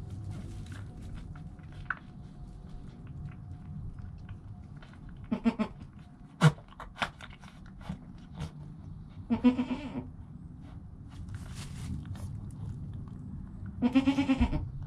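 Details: Joel, a goat kid less than an hour old, filmed by GoPro beside his calm mother Penny, gives three wavering, nasal bleats spaced about four seconds apart, the last the loudest, over soft rustling and low background hum.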